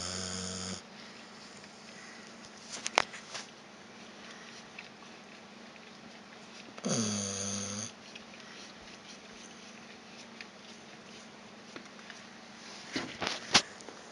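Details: Vita, a pet dog, snoring indoors after a walk, with harsh buzzy snores at the start and near seven seconds, amid sniffing and the wet licking of another dog, Evchik, cleaning its paws nearby.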